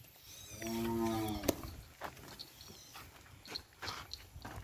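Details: Kerapan sapi racing cattle on Sapudi Island, Indonesia: one brief, rich, harmonic moo of under a second, steady then tapering, followed by a sharp crack and scattered clicking, rustling and knocking noises in the yard.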